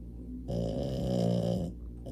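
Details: Sleeping French Bulldog giving a single long, rasping, nasal snore of about a second, rising and fading, set against soft breathing.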